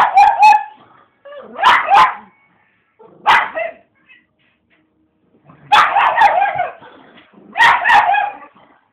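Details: Female pug going wild at the TV, loud rough barks in doubled bursts, five clusters across nine seconds separated by brief silences, with a whiny edge trailing some barks.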